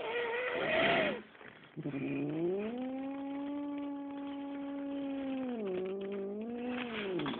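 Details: Big male pet cat caged before a vet visit, angry at confinement; a brief rising cry, a pause, then a long sustained yowl held steady for several seconds with a dip and slight rise near the end.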